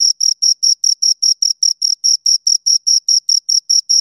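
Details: A pair of crickets chirps in bright, evenly spaced bursts, close to five per second, each a clean high-pitched pulse with a faint higher overtone and silence between.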